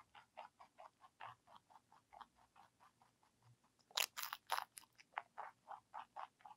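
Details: Bunny ZZ, a lionhead crossed with Dutch rabbit, munches celery: steady rapid crunches, roughly three per second, with a burst of louder, brittle snapping near the middle before the even chewing rhythm resumes; no other sounds.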